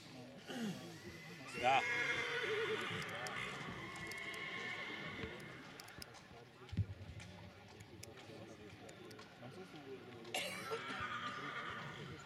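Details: Silesian stallion at the Książ stallion qualification, 2019, neighs twice: a long vibrating whinny early on and a shorter one near the end, with hoof clatter and speech in between.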